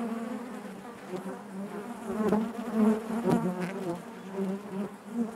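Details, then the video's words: Honey bees buzzing naturally inside their hive, a dense steady hum with a strong low fundamental and stacked overtones, swelling and fading in loudness, with brief clicks and knocks scattered through it. "bees therapy hive natural buzzing sound"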